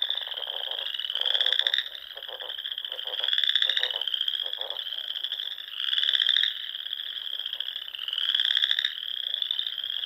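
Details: Many frogs calling together in spring at dusk on small lakes in the Sandhills of Nebraska; a high, shimmering, continuous trill, punctuated by louder pulsing bursts that recur about every two seconds.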